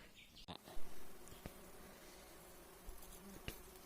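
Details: Giant honey bee swarm at a wild nest during honey harvesting, one of four nests: low steady droning hum throughout, with a few sharp knocks and handling noises.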